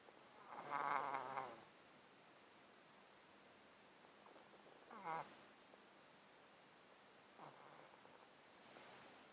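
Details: Domestic cat sleeping in a box, breathing with a snotty sound caused by a long-standing underlying disease, recorded close up; four raspy, crackling breaths come at uneven intervals over a quiet room background.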